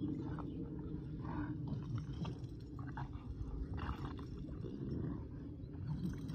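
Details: Kumo the Keeshond and Sully the Boston Terrier tug on a broken rubber toy. Deep, continuous growling rises and falls, broken by brief harsher snarls and some gnawing, scuffling noises.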